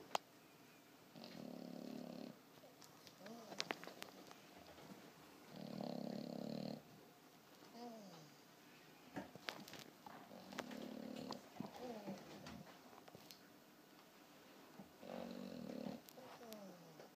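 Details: A 4-month-old French Bulldog puppy in a deep sleep snores loudly in low, rasping rumbles, one every four to five seconds.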